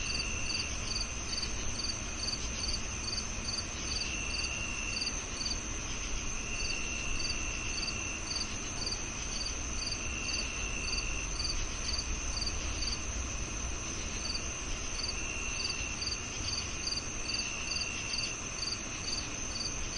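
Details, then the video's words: [['Steady cricket chirping: a long run of evenly spaced, high-pitched pulses over a constant ringing tone, with a low rumbling ambience throughout.']] "The Cricket Sounds"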